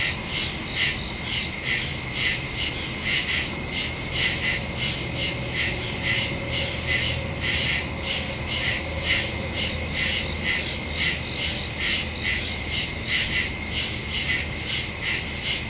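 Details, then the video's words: Crickets in the woods at night, recorded on September 2, 2023 with a phone and stereo microphone; pulsed high chirps repeat roughly once a second, overlapping callers forming a steady shimmering chorus over a low background hum. "Crickets in the woods at night"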